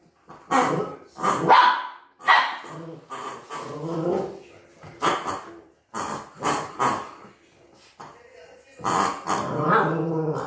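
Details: Scared of a new toy on first meeting it, Cookie the Maltese barks in irregular volleys, about one sharp yap each second, mixing high snappy barks with throaty growled ones and brief pauses between bursts.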